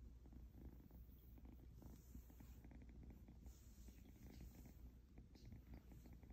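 An Egyptian Mau kitten purrs steadily, a deep rumbling hum pulsing in a soft, even rhythm.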